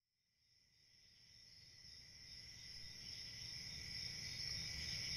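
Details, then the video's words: Crickets on a summer night in a forest, their dense, continuous high shrill trill fading in from silence and swelling steadily, with a faint low rumble beneath. "Relaxing Cricket Sounds For Sleep"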